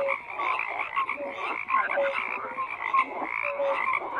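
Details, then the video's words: Dense frog chorus of many overlapping croaks, rough pulsed calls layered with short tonal notes, continuous with no pauses; no other sounds stand out. "FROGS CROAKING"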